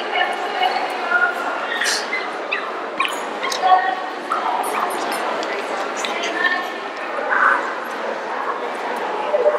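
An Italian Greyhound whines and gives short, high yips while people talk nearby.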